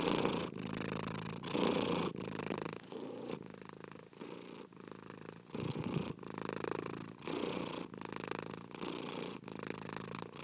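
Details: Cat purring steadily, a low rumbling buzz broken into alternating breath phases roughly every half to one second, with a short quieter stretch near the middle; no other sounds.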